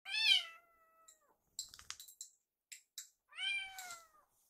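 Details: Rescued baby kittens indoors, on their last night before leaving, cuddling with their foster mother after play. Two clear, high meows about three seconds apart: the first bright then level and fading, the second slightly arched. Soft tapping and rustling fall between them.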